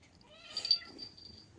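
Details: A domestic cat, just awake in the morning, gives one clear, rising-then-falling meow with rich overtones, sustained for about a second before a thin high tail fades out. The surroundings are quiet apart from a low background rumble.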